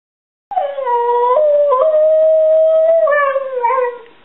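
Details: A 7-year-old male Border Collie mix 'talks' and sings when asked if he loves his family: one sustained, wavering howl-like vocal about three and a half seconds long, sliding slightly up and down in pitch, with a woman's voice prompting.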